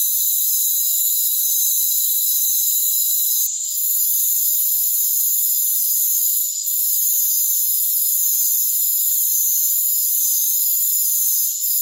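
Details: A dense rainforest cricket chorus trills in an unbroken, high-pitched ringing wash of several layered tones, holding almost perfectly steady with only a couple of brief dips.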